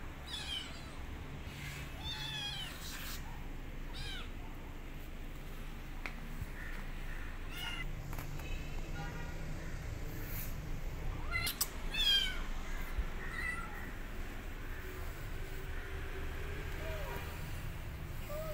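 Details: Female kitten after being rescued, meowing repeatedly in short, high, falling cries, several bunched early and another few later, over constant low rumbling background noise and scattered clicks.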